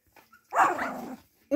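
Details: Siberian Husky puppies indoors: one drawn-out, wavering tonal cry lasting under a second, with bright harmonics sliding up and down, preceded by faint soft noises and cut off by a sudden loud sound at the end.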